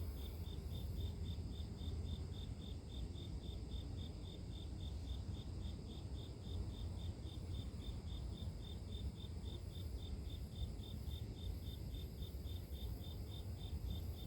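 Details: High, even chirp pulses from insects in the grass repeat about three per second for the whole stretch, accompanied by a strong, steady low-frequency rumble.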